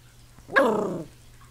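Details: Ten-week-old Pomeranian puppy trying to bite a nearby hand, indoors on a couch: one short, sharp yap that starts high and slides downward in about half a second, over a faint low hum.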